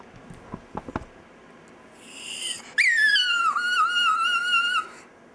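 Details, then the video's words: A few soft clicks and a breathy rise, then pet Chihuahua Dexter "sings" one long sustained howl lasting about two seconds, its pitch dipping slightly in the middle and holding steady to the end. "Dexter's Opera"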